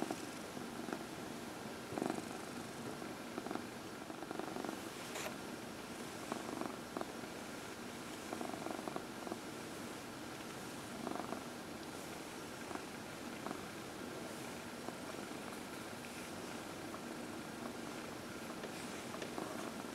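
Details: Purring of Dinah, a 14-year-old adopted cat, while being massaged on a lap in the early evening; a soft, even, grainy rumble with gentle swells and faint tapping sounds in a quiet room.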